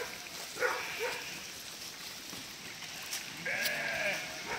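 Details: Sheep from a flock of about 1000 being herded across a narrow river crossing by a border collie; two or three wavering bleats stand out over steady broadband noise, with a man calling commands to the dog nearby.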